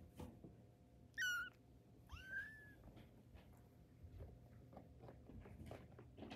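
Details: Tabby kitten during its first steps, one loud quavering high mew followed by a softer drawn-out falling cry, then shuffling and faint taps over a low hum.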